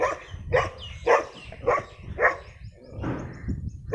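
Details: A dog described as very dangerous and a rare brown breed barks in a steady series of loud, harsh woofs, roughly two per second, ending in a drawn-out growling bark, over low rumbling background noise.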